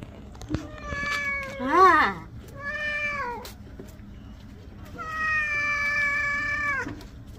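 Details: Domestic cat meowing while being bathed indoors; several drawn-out harmonic meows, one wavering and loud near two seconds, a long steady meow near the end, with a person speaking Bengali softly in between.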